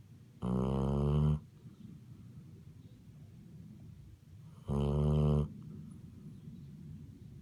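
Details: Basset Hound snoring loudly: two deep, rasping snores under a second long each, about four seconds apart, with low breathy rumble between them in a quiet indoor room.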